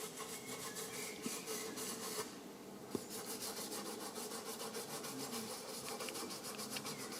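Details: Common frogs (Rana temporaria) at gardening allotments in Midhurst give a low, grating purr of quick pulses repeated without pause; several callers seem to overlap into a continuous rubbing texture.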